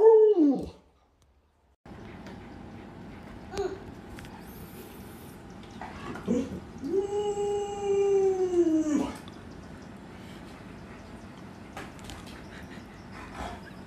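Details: A pet Alaskan Malamute named Luoluo gives a falling cry, then after a pause a sustained, slightly descending howl of about two seconds. Faint background noise and clicks run throughout.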